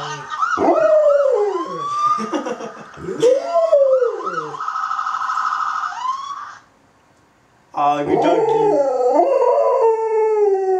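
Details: Dog howling in response to police sirens: long wavering, sliding howls rising and falling in pitch, overlapping a steady wailing siren tone, with a brief quiet gap before the howling resumes loudly.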